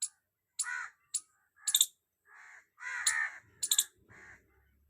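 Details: Squirrel calling loudly at close range: harsh, scratchy chirps mixed with sharp high clicks, delivered in uneven bursts of a few notes separated by short silences.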